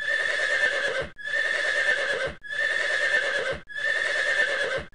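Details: A horse calls in harsh, buzzy bursts, repeated about every second with brief pauses.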